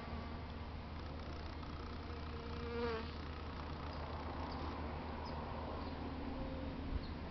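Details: European honey bees visiting flowers on a beautiful day in San Diego, California, USA; a faint steady buzzing hum with one louder, slightly wavering buzz passing close near the middle, over soft outdoor background noise.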